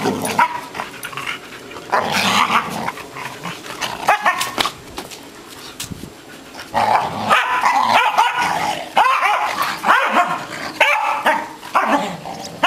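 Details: Freshly trimmed of its long hair and feeling energetic, an English Springer Spaniel lets out short yips and barks, some with a growly edge, in quick irregular bursts amid shuffling indoor noises.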